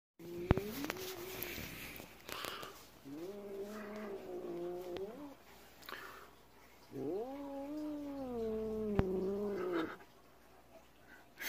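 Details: A female Siamese cat, kept since she was a kitten in May 2011, gives long, moaning yowls that rise, hold and fall, broken by short breathy hisses. These are aggressive sounds aimed at a 3-year-old orange rescue cat she dislikes.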